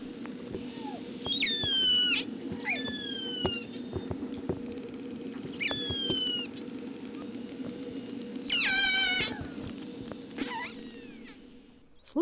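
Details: Killer whale (Orcinus orca) family dialect recorded at sea by hydrophone: a series of loud, squealing pulsed calls sweeping down over a steady underwater hum. Families in the same acoustic clan share some call types.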